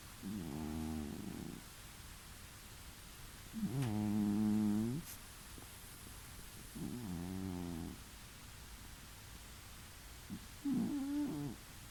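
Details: Domestic cat snoring in the next room of a new home, relaxed about two weeks after moving in, four slow rasping breaths roughly every three seconds, low and buzzy with harmonic bands, over steady background hiss.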